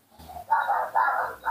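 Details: Hungry baby monkey Nomi gives small, insistent screams before drinking milk, with a soft lead-in followed by three quick, rough, strained squeals.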